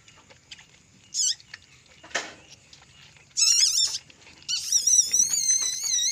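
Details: Asian palm civet, a mother that has just given birth to three young: high, thin, wavering squeals in three bursts, the last one long and warbling, with a brief rustle between them.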